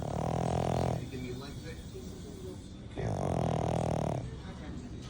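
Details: Sleeping French bulldog gives deep, rasping, grandpa-like snores. Two long buzzy breaths, each about a second or more, come roughly three seconds apart, with softer breathing between.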